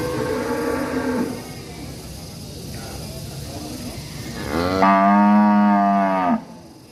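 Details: Angry cattle in a village: a softer, low moo at the start, then after a pause a loud, sustained bellow of about two seconds, rich in harmonics, over quiet rural background hum.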